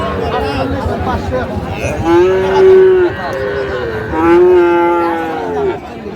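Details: Sahiwal bull calf at a cattle market in Comilla, Bangladesh, filmed 10 May 2025: two long, low, steady moos, each about a second and a half, spaced two seconds apart, with market murmur and distant talk behind.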